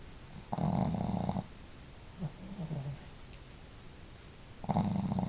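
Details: Pet dogs Marimo, a female with a powerful snore, and the quieter-snoring Daigoro asleep at home; two loud buzzing snores about four seconds apart, with a softer, wavering snore between them.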